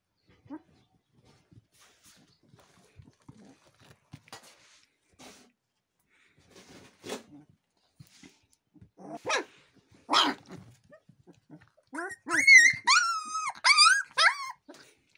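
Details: Gaddi, or Bhotia, Himalayan sheepdog puppies showing aggression: quiet scuffling at first, then a few sharp barks around seven to ten seconds, ending in shrill, high, wavering yelps repeated rapidly over the last three seconds.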